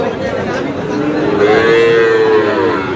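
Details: A young Sahiwal bull calf, bought by a Dhaka farmer, gives a drawn-out moo that climbs slightly and holds for over a second before fading. Busy crowd chatter and voices surround it.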